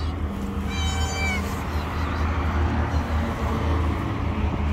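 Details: A single high, wavering kitten mew of about half a second from kittens hidden under rocks, followed by quiet, with a steady low rumbling hum throughout.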